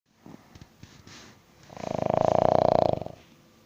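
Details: A sleeping King Charles Spaniel snores loudly indoors: one long, rattling snore made of rapid, even pulses lasting over a second, after a few soft clicks and breaths.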